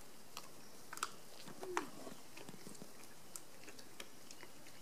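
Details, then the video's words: Black bear cubs munching, one of sixteen cubs at a facility on December 13, 2015, an unseasonably warm day, fed bear pellets, acorns, pecans, red pears and frozen blueberries; irregular crisp crunching clicks with a brief squeaky note midway. "The Cubs Munching"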